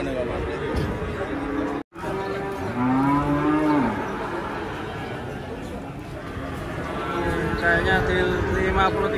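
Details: Giant, rare Ongole-type cattle at a crowded market in Indonesia; a drawn-out low moo rises then holds steady before tailing off, over a steady din of people talking and background music.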